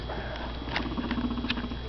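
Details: Female guinea pig kept with two other females, trying to show dominance and boss the bigger ones around; a low rapid purring rumble pulses steadily through the second half, over scuffling patter, with a person's voice nearby.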